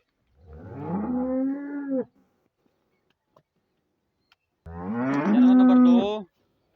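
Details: Two loud, drawn-out moos from a Friesian cow offered for sale in Pakistan, each around a second and a half long, the second louder and more strained, with near silence between them.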